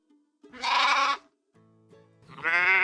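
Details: Sheep bleating: two loud, wavering, nasal bleats about two seconds apart, with soft background music playing in the gap between them.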